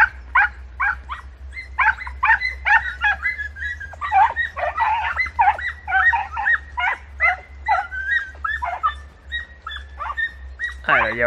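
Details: Several podencos hunting in bramble thickets in Campo Arañuelo give high, excited yelping barks in rapid, overlapping bursts with a low rumble beneath.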